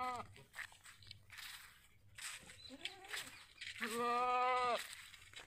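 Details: Sirohi goat at a goat farm in Ajmer, Rajasthan, India: one loud, steady, nasal bleat held for just under a second near the end, preceded by scattered human voices and farmyard noise.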